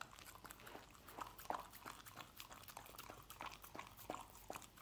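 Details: Dog eating scrambled egg: soft, irregular wet chewing clicks and lip-smacks, several per second, with a few sharper bites in the middle and near the end over a quiet background.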